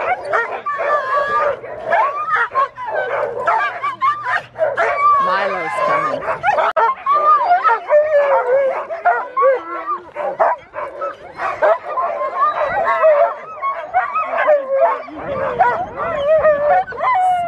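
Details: Mother and daughter Alaskan Malamutes at sled dog training in Farran Park, Ontario, December, among many dogs. Many dogs howl and yip together in a loud, wavering, overlapping chorus, with a person speaking briefly and a low hum early on.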